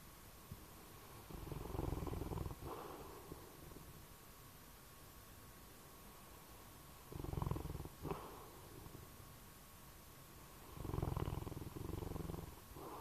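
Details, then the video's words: Sleeping bloodhound snoring: three long, low rumbling breaths about four seconds apart, each a rough, throaty drone with short quiet gaps between, in an otherwise still room. "snoring bloodhound"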